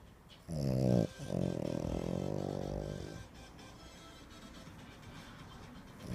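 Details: French Bulldog recorded 20 August 2025, giving a low, drawn-out groaning vocalization with a rich harmonic buzz; a short burst breaks off after about half a second, then a longer wavering grumble lasts two seconds before fading to quiet room noise.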